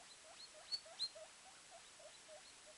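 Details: Guinea pig pup only 24 hours old running about near its mother and brother; a quiet series of brief chirping squeaks, about four per second, with two sharper clicks early on.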